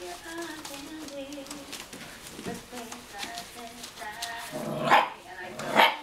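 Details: A litter of five-week-old German Shorthaired Pointer puppies whimper in thin, drawn-out whines that slide up and down in pitch, ending in short, sharp yips, while a person speaks throughout.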